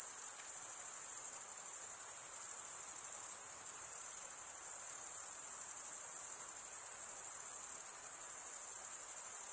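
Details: Unbroken high-pitched cricket chirping, a bright, rapidly pulsing drone with a brief dip in loudness near the middle, otherwise uniform and free of other sounds.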